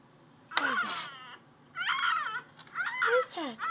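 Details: Athena the pet cat, searching indoors for a noise, utters three drawn-out wavering meows about a second apart, each bending up then down, with a brief overlapping human voice.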